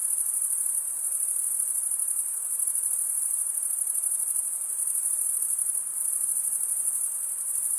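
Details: Male crickets stridulating, rubbing a serrated wing vein against the opposite wing. They form an unbroken, piercing high-pitched buzz with a fine pulsing texture that stays even from start to finish over soft background hiss.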